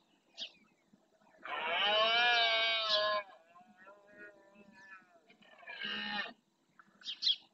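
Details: Rutting red deer in the Doñana marshland, Spain, males roaring to claim territory; a long harsh bellow of nearly two seconds, then a quieter trailing moan and a shorter second roar, with brief sharp noises at the start and end.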